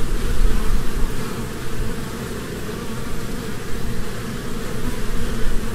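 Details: Honeybees flitting from flower to flower in spring: a dense, steady low buzzing hum that swells and fades in gentle waves, with a strong rough drone throughout and no other clear sounds.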